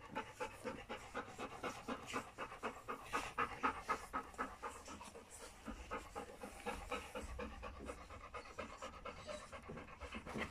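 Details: Steady, rhythmic panting of three-week-old puppies born to Folie and Mayley, fast soft breaths at roughly four per second keeping an even beat throughout, with low room rumble underneath.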